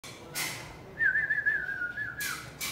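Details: Two-month-old Pit Bull puppy at play, giving a thin, high whine that wavers slightly for about a second, framed by short bursts of broadband noise before and after indoors.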